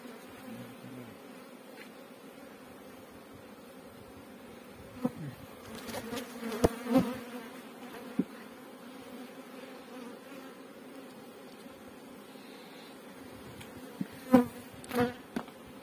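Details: Farmed honey bees in Pakistan hum in a continuous low drone, overlaid by scattered clicks and rustles, with clustered bursts of handling noise mid-recording and again near the end.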